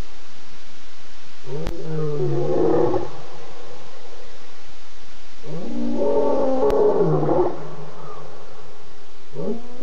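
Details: Lion roaring before dawn at 4:45 a.m. on 30 August after moving fast past a pan: two long, deep moaning roars about four seconds apart, a third starting at the end, steady quiet background.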